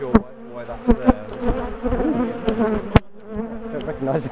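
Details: Busy, layered humming of many bees from a top bar hive being taken apart and moved from a garden, with scattered sharp clicks and knocks of bars and tools over the steady buzz.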